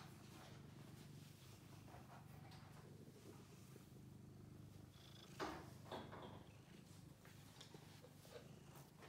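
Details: Low, rhythmic purring from Bailey, seven-year-old blue point lap cat, running unbroken throughout, with faint rubbing noises and a couple of soft bumps late on.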